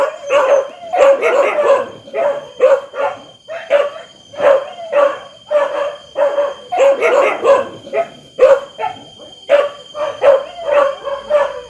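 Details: Several dogs bark loudly and excitedly, with harsh barks tumbling in irregular clusters and overlapping, and some brief yelps; a constant thin high tone hums in the background.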